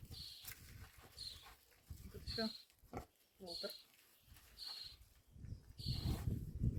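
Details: Pet pig named Walter making wet smacking, chewing-like noises repeated roughly every second, with low rough grunts swelling near the end; people talk and comment close by throughout.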